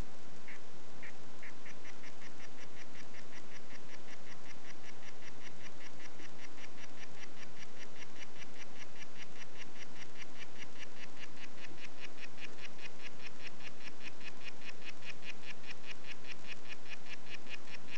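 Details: "White Footed" harlequin poison frog giving a few spaced buzzy notes at first, then settling into a fast, even, continuous series of short pulsed notes running to the end over soft background hiss.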